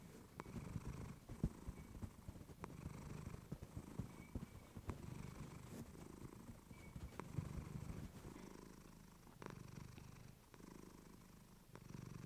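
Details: Recorded on a fluffy mic, female cat Clementine gives a deep continuous purr, pulsing with each breath, dotted with sharp clicks and a faint thin tone in the background.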